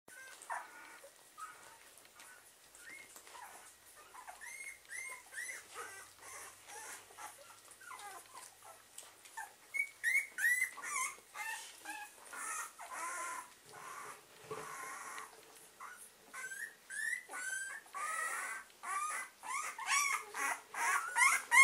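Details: German Pinscher puppies, half of the litter drinking. High squeaky whimpers and short yelps overlap in quick succession. They grow louder and denser toward the end, with soft clicking and lapping noises between them.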